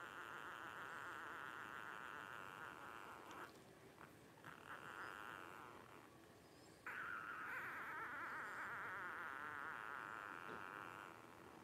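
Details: Twelve-day-old blenheim Cavalier King Charles Spaniel puppies, a litter of five born to Paris and Spike at New Year 2023, give sustained, wavering high whines. The crying comes in long stretches broken by short pauses.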